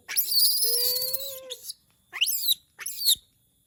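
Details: A monkey calls when it misses humans. It gives a long, harsh, high squeal with a thin whistled tone beneath, then two shorter rising, screechy squeals. A quiet room lies behind the calls.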